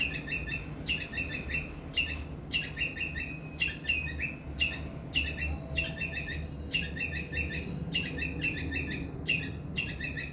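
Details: Squirrel calling loudly in distress, a call meant to bring adult squirrels close: rhythmic chattering bursts of harsh high chirps, each about half a second long, separated by short pauses, over low rumbling noise.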